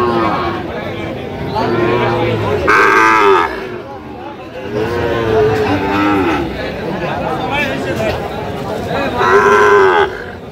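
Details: Lowing cattle at a Sirajganj, Bangladesh market where a Sahiwal bull calf is sold, 5 August 2025: three loud moos, each about a second long with a rising then falling bend, separated by pauses filled with crowd talk.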